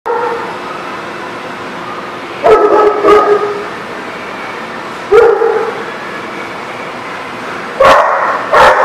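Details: Dog barking, recorded 13 July 2019: short bursts of two or three sharp, fairly deep woofs come at irregular gaps of two to three seconds over a steady low background hum.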